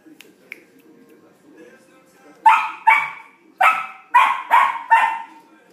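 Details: Playful barking from Flake, a Samoyed puppy, with his first large ball; faint soft taps first, then six quick high barks close together in the second half.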